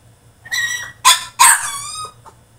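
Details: Male French Bulldog throwing a tantrum in his cage: three shrill, strongly harmonic yelping whines in quick succession, the last one drawn out and sliding downward before fading, over a faint steady low hum.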